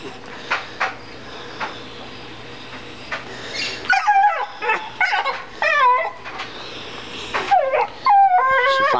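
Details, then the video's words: A female dog cries over a big rock she has found, which she does every time she finds one. Quiet at first with faint background sounds, then a run of high, wavering whines and yelps that bend up and down, some stretched and quavering. "DOG CRYING OVER A ROCK"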